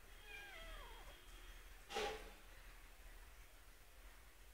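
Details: Domestic cat giving a drawn-out, downward-sliding meow with clear harmonics, then a single sharp knock shortly after, in a quiet setting.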